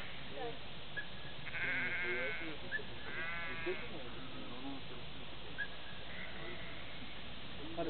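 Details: Organic sheep in Sweden being herded by a dog: wavering, harmonic bleats near 1.5 and 3 seconds, partly masked by background music and Russian speech.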